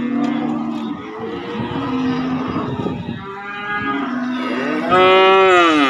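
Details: Young cattle at a market for calves and bulls: overlapping moos from several animals, a low sustained call early, then a loud rising bellow with bright harmonics near five seconds.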